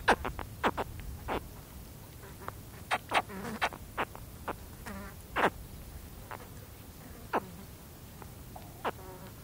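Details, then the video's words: Close-up contact calls from baby spectacled caiman: many brief, clipped chirps, some overlapping and some with a grunting low tail, scattered irregularly through the stretch, with faint wind and an occasional fly buzz behind. "Spectacled Caiman / CU Contact Calls From Baby Caiman"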